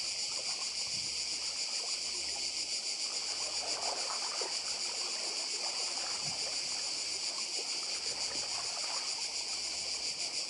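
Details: On Badija Island off Croatia, cicadas keep up a ceaseless high rasping buzz with a faintly throbbing texture, the 2024 seaside recording also carrying quiet lapping water and soft low murmur below the insect drone.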